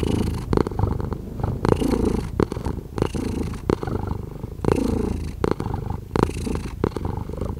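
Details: Cat purring softly in uneven pulses, mixed with loud intermittent clicks and scratchy handling or rubbing sounds close by.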